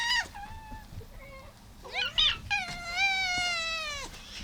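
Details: Indoor feeding time for fourteen domestic cats, including a rescued calico leaving for a new home; a short meow, then rising wavering calls ending in a long, slightly descending meow, with faint chewing noise.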